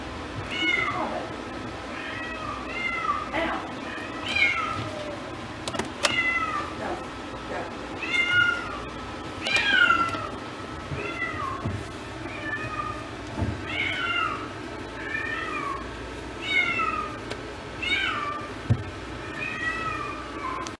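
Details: Newly arrived, slightly nervous female Domestic Shorthair cat at an animal shelter meows repeatedly, roughly every one to two seconds for twenty seconds, calls arching then falling, with occasional clicks and a steady room hum.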